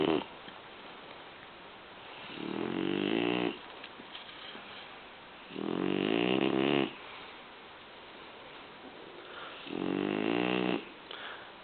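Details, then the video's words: French bulldog asleep indoors, snoring loudly: three long rasping, buzzy inhalations about four seconds apart, each lasting over a second, with quieter breathing between. "bulldog francais guch ronfle"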